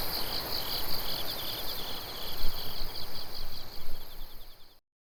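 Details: Autumn night insect chorus under the moon, 16 September 2021, Japan: bright pulsed chirping and high steady trilling from several insects, fading out before the end, low rumble beneath.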